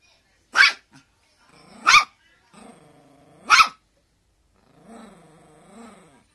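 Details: Teacup Poodle begging for a toy to be thrown, giving three sharp, high barks about a second and a half apart, with low drawn-out growls in between and after.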